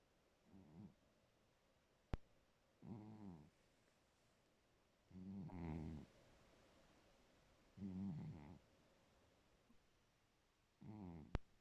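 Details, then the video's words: Domestic cat asleep and snoring, with five low, throaty, rasping breaths arriving about every two and a half seconds, steady and regular, plus a couple of brief sharp clicks in an otherwise quiet indoor room. "ma copiiiiiiine ronfle"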